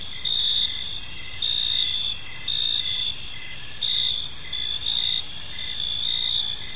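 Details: Evening crickets chirping in a peaceful park; bright, high trills swell in bursts about once a second over a constant shimmering chorus, with a steady low wash of ambient noise.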